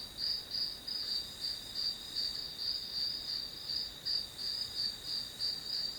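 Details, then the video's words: High, ringing grass insect trill repeating in even bursts near three per second, rising and falling slightly in loudness, with nothing else audible. "풀벌레 소리"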